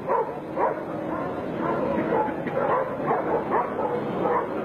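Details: Dogo Canario in footage from 1994, barking in a run of short, rough barks about twice a second. Background noise and faint voices are heard beneath.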